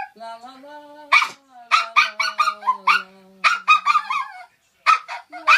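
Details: A toy poodle singing to its owner's tune: clusters of quick, bright yips and yelps rise above a person's long, level sung note that drops slightly near the end.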